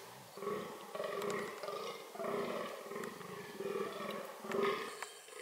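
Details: Fallow deer (Dama dama), reproductive behaviour: a dense sequence of gruff, buzzing, harmonic calls following closely one after another, about five in quick succession.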